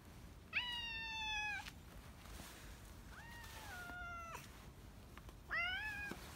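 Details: Retired boss cat that long ruled a residential neighbourhood, now in end-of-life care at home after collapsing in March 2020; three clear harmonic meows, the first held level, the second falling, the third rising sharply, over a quiet background.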